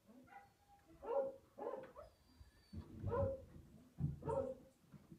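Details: Tamaskan dogs, the Basalt Boys, vocalizing at a window: a series of short, tonal whining yelps in about five separate bursts, some mixed with lower, gruff woofs, with quiet pauses between them.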